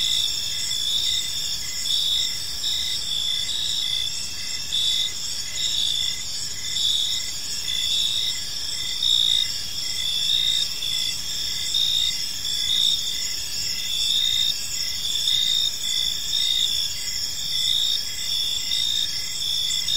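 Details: Crickets chirping on an evening in a peaceful park: a dense, continuous chorus of high, pulsing trills layered at several pitches, with steady rhythmic throbbing and no other clear sounds.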